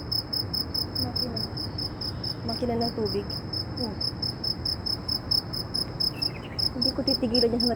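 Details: A loud insect gives a steady, rapid high pulsing trill, with faint human voices underneath, recorded in Saudi Arabia.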